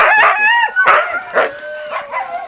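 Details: Siberian Husky puppies at feeding time giving loud, harmonic whining yelps in quick bursts, about one every half second, several voices overlapping with rising and falling pitch.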